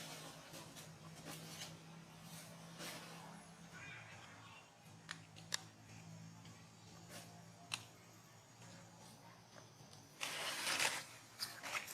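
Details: A quiet room with a low hum, scattered clicks and taps, and a short rustling burst near the end; no animal call stands out.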